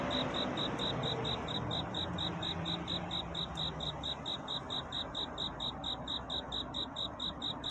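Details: Cricket singing a love-seeking courtship song on a night toward dawn: short high chirps repeated steadily, about two to three per second, over a soft broad hiss and low rumble.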